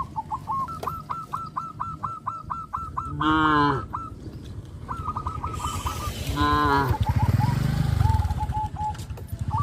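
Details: Cows eating grass in a field on a traditional village farm: two short, nasal moos from a cow stand out over rapid repeated chirping notes and low rhythmic chewing.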